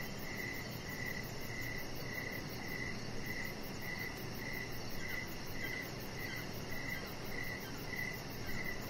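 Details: Crickets heard in the evening from a deck outside, giving crisp chirps about every half second in an even rhythm. A soft low rumble continues underneath, and a fine, quick, high trill runs throughout.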